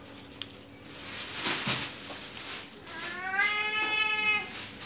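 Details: Male cat asking for fish indoors; after clattering and rustling noises, one long rising harmonic meow sounds in the second half.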